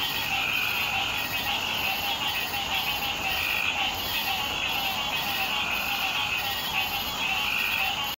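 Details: Green tree frogs calling together in a chorus on Hilton Head Island in June 2018: a dense, unbroken wall of overlapping croaking calls, many animals at once, steady and loud throughout with no pauses.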